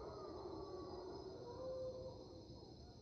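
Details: Mantled howler monkeys in the Panamanian rainforest at 5am, their raucous dawn chorus recorded on March 8, 2023; a rough, drawn-out howl with a steady tone near its peak, over a constant high whine of insects.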